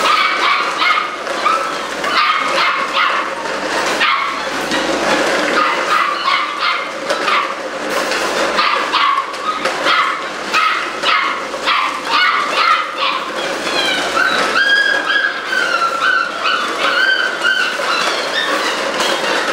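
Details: Several eight-week-old Malinois puppies keep up a dense, continuous yapping. Clipped, high barks and yips overlap throughout, and sharper squeals rise near the end.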